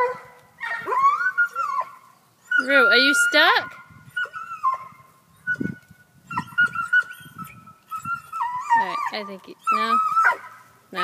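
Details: Black and Tan Coonhound Tucker, perched in a tree after chasing a cat, mixes rapid yelps and whining, bending bays across an irregular string of calls, with human talk in between.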